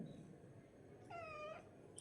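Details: Domestic cat giving one clear, drawn-out meow of about half a second that slides slightly downward, rich in harmonics, after a quiet stretch with faint room noise.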